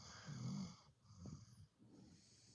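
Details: Pit bull snoring while asleep, a gentle sound: soft, low wheezing breaths, a longer raspy inhale then shorter quieter snorts, with faint hiss in the background and a person speaking briefly afterward.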